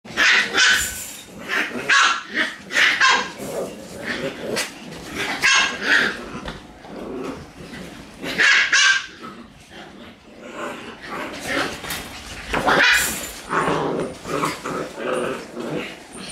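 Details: Two Shiba Inu, Kotaro and Sachi, face off in a cramped spot, letting out bursts of sharp, high barks and yips in irregular volleys, with a person's voice heard now and then between them.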